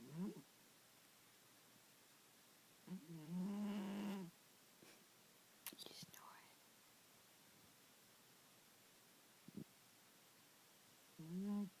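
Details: Loud snoring from Cheetah, a pet Bengal kitty: deep buzzy, tonal snores, one drawn out for over a second, returning every few seconds, with quiet breathy gaps and a faint click between them.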